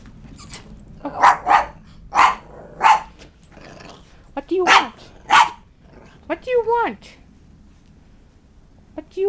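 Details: Beagle kept indoors with two chihuahua sisters, Snap and Xena, aged two, gives a run of sharp, broadband barks in uneven bursts, roughly one to two per second, while a woman talks to the dogs between and after the barks.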